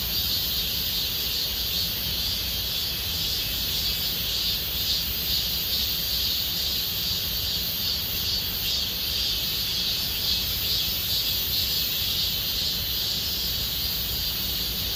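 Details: Summer chorus of cicadas in Gomsol Nuri Forest, Siwha district: unbroken shrill buzzing held at an even level, with faint rhythmic pulsing woven through the high drone and low rumble beneath.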